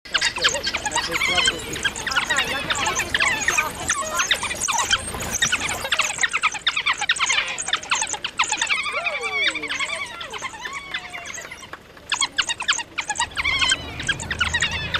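African wild dogs chatter in a dense chorus of high, squeaky, bird-like twitters and squeals.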